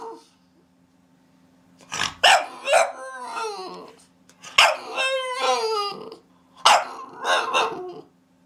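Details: Three groups of barking from a dog, each a hard bark followed by a falling, whiny yelp trail, separated by short quiet gaps and a faint steady hum.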